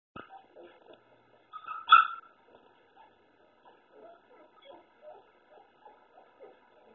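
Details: Puppies bark and whine at a black cat they want out. One sharp, high-pitched yip rises amid soft whines and murmuring.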